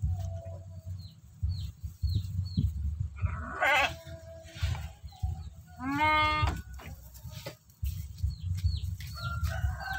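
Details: Feeding time for sheep in a Galang village: one loud, trembling bleat cuts in just past the midpoint, with an earlier rougher cry, while short high chirps repeat at the start and end over low background rumble.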